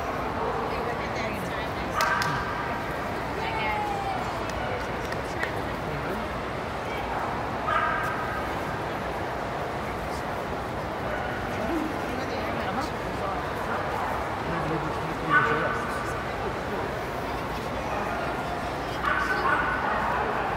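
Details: Corgi taking part in the Barn Hunt at the Houston World Series of Dog Shows at NRG Center; a few sharp barks and yips break out every few seconds over a steady hall murmur of crowd chatter and speech.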